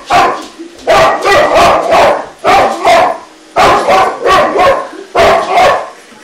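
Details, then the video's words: Boxer dog named Shoeless challenging an I Robot indoors, giving loud, hoarse barks in quick clusters of two or three, about five bursts over six seconds with short pauses between them. "My Boxer Dog Shoeless vs The I Robot"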